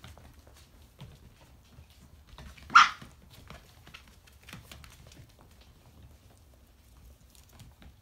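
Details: 4.5-week-old Briard puppies indoors, one sharp, loud single yelp cutting through otherwise quiet shuffling and soft patter of small paws.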